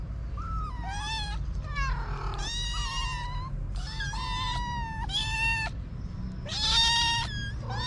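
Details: Street kittens and their mother calling while waiting for food and play: repeated bright, strained meows from several cats, some short and rising, others long and wavering, over a constant low hum.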